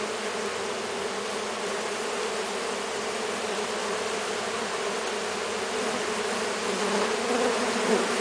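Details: Brazilian stingless bees, Melipona scutellaris, Melipona anthidioides and Melipona mandacaia, crowding on a hand while fed sugar syrup; a steady, dense buzzing hum of many bees holds throughout, with a brief higher whine near the end.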